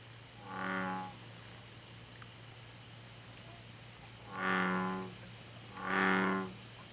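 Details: American bullfrog in Korea: one deep, buzzy croak, a gap of about three seconds, then two more close together, each rich and resonant, with a low steady hum and a faint high whine in the background.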